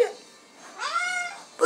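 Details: Pet cat meowing from thirst at night, wanting the sink; one clear, sustained meow climbing into a steady tone, bracketed by a woman asking in French whether she is thirsty.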